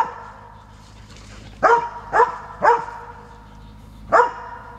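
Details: Transylvanian Hound giving four loud, clipped barks after a second and a half of quiet: three in a quick run, then a short gap and one final bark.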